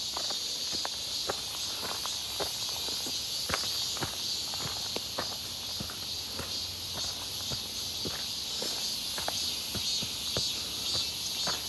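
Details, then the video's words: Midsummer cicadas near Seonbawi on a clear, hot day, 1 August 2023, heard while walking: a continuous high, hissing buzz fills the air, and regular footsteps tap beneath it throughout. "산책 부쩍 많아진 매미소리"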